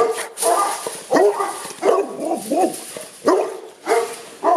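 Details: Boerboel dogs at a kennel in Accra, barking in deep, harsh bursts; about six loud barks in under five seconds, spaced irregularly, with rougher, lower growl-like barks between them.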